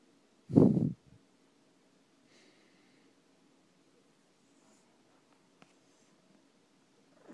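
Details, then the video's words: Max, a pet cat, snoring indoors: one loud, low, rasping snorting breath lasting about half a second near the start, followed by a long stretch of near silence with only faint breathing traces. "Max the cat snoring!"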